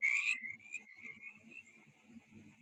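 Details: A mountain chorus frog in Virginia gives a raspy, high trilling call that runs on steadily, with a couple of spring peepers calling in the background.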